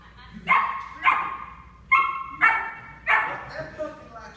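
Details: Nine-week-old German Shepherd puppy during obedience training, recorded in 2014: a series of short, sharp harmonic yips and barks, about six bursts spaced roughly half a second apart, with a trainer's voice in the background.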